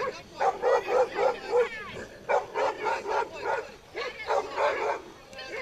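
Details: During a pit bull tug-of-war show, a dog gives strings of quick, evenly spaced barks, several per second, in bursts separated by a brief pause, with a loud, tonal ring to each bark.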